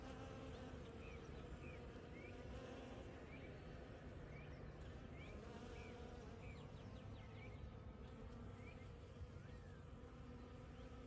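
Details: Bees working desert flowers that bloomed after rain on a Monday morning: constant low buzzing hum of wings, overlaid by repeated short upslurred bird chirps scattered across the recording.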